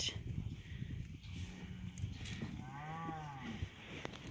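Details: Cattle heading out to summer pasture, cows with calves: two low, drawn-out moos, the second longer and slightly arched, over rustling movement and a woman's voice.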